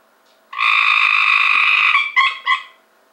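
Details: Captured from a home pool, a Cope's gray treefrog gives a loud, rapid buzzing trill of about 1.5 seconds, followed by two short, clipped buzzy notes. Background otherwise quiet.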